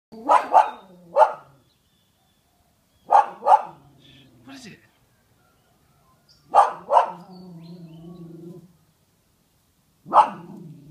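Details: A dog barks at a massive poop in sharp bursts, often in quick doubled pairs, with pauses of a few seconds between.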